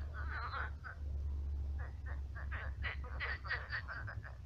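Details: Many frogs croaking at night in a shallowed pond turned swamp; rough, rattling croaks in bursts, a dense run near the start and a quicker series of short pulses toward the end over low background rumble.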